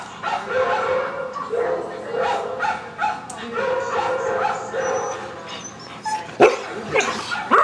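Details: Siberian Huskies, one of them female, howl in wavering, drawn-out tones that rise and fall in a rough, repeated pattern after hearing a sound played on a computer; Siberian Husky.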